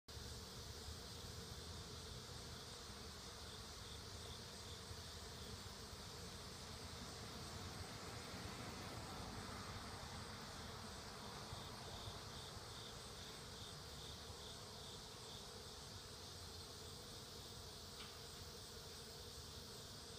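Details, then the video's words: Honey bees gathering food, their buzzing a steady, dense hum that fills the whole recording without pause, with no other clear sounds. "Honey Bees Gathering Food"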